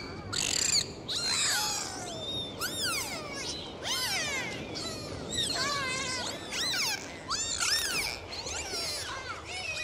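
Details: Dolphins underwater on a full dive, giving many overlapping whistles that sweep up and down, some looping, in bursts through the whole stretch, with a steady watery hiss beneath.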